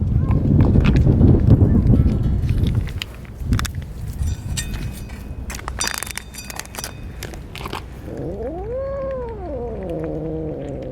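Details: Stray cats at a feeding after a typhoon, where an orange tabby kitten named Chatoran eats as eagerly as the adults; low rumbling and clattering at first, then one clear, drawn-out meow that rises and falls near the end.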